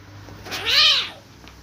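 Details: Cat during a fight: one short, rising-then-falling yowl with a strong, bright tone, lasting about half a second over a quiet background.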